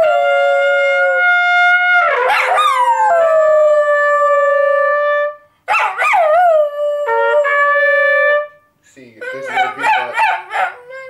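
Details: Gary the Schnoodle 'speaks' at home while the household chats. Long sustained whining tones alternate with quick upward-swooping yelps, ending in a choppy run of short wavering vocal sounds.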